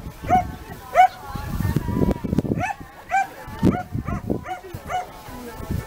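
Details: A 13-month-old Komondor at a herding-dog working trial in Pomáz, Hungary, on 3 October 2015, gives deep, irregular barks with short arched tonal peaks, over background noise.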